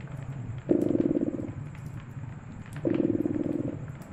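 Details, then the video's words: Cat purring beside a crackling fireplace in a cozy winter setting; low rumbling purr swells twice, each burst under a second long, between quieter breaths, with faint crackles and pops from the fire. "Relax with Purring Cat and Caracking Fireplace"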